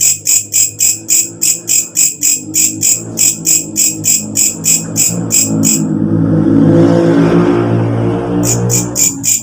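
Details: ["A walang kecek katydid, which calls loudly after dark and serves as a tutor sound for cage birds, gives a steady train of high shrill pulses. A passing engine's roar drowns it for a few seconds before the pulsing returns."]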